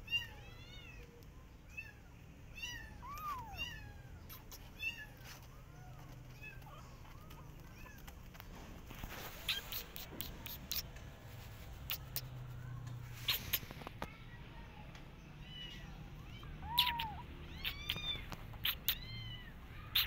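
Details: Garden outing of a Persian cat and her adopted kittens as they watch rabbits: repeated high arched meows come in clusters at the start and again near the end, broken by clicks and a rustling burst midway.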